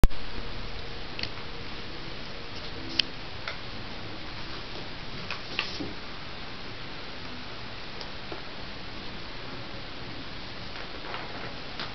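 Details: A quiet indoor hush with faint ticking and a couple of small clicks; no animal voice.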